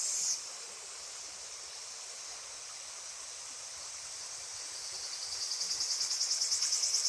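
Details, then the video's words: Cicadas at the Genka River: a steady high hiss of insect buzzing fills the air, then in the last two seconds it breaks into rapid, even pulses that grow louder, over faint flowing water. "The sound of cicadas gives a refreshing feeling!"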